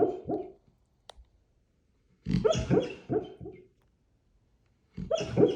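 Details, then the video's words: Central Asian Shepherd dog dreaming in its sleep, giving soft muffled woofs and whimpering yelps in short bursts of three to five, separated by quiet pauses. "dreaming 😂😂nika💕central Asian shepherd"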